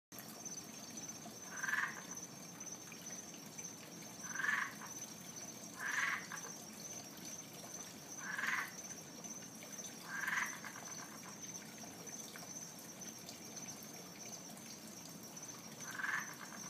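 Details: A frog living around a backyard pond in the Fort Lauderdale area, heard every night but never seen, gives short mid-pitched croaks at irregular intervals of about two to four seconds over a steady high insect hum and faint trickling water.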